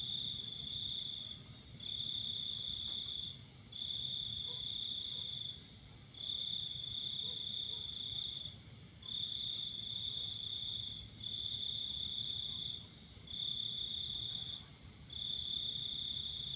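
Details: Crickets calling at night under a full moon: a high, steady, ringing trill in long bursts of about one and a half to two seconds, broken by brief pauses, over a faint low background hum.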